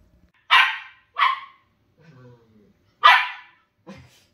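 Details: Two playful Shetland Sheepdogs, one tri-colour and one grey, having fun; three sharp, high barks ring out, the first two close together and the third after a pause, with a soft low whine between and a faint grunt at the end.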